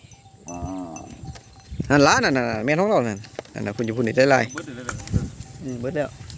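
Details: Calves separated from their mothers crying together, one lower moo followed by loud overlapping arched bawls and further short calls, a busy chorus with low background rumble.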